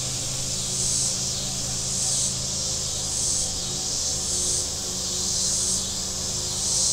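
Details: Cicadas on the shore of Table Rock Lake, southern Missouri, in warm weather: a shrill hissing drone rising and falling in waves a little over a second apart, softer than the steady low drone of boats on the lake.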